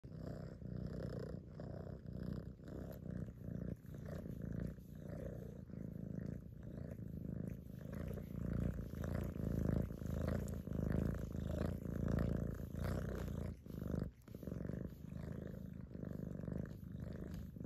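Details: Cat purring while cleaning itself, a steady low rumbling purr pulsing in rhythmic inhale-exhale cycles about every second and a half, continuous throughout, with faint licking sounds.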